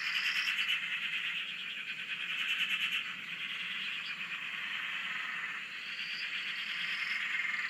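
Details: Frog chorus recorded from a shack on a dam in Australia: dense continuous pulsed trilling and croaking massed between 1 and 4k, with rising whistled notes near 5k recurring, steady throughout.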